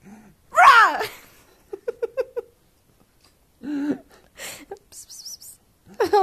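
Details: Cat named Binx being scared: a loud drawn-out yowling cry, then a run of short clipped chirping sounds, a lower moan and further wavering cries, with some breathy noises between.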